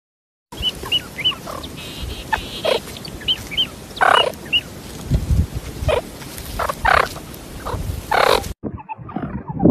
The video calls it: Meerkat Sound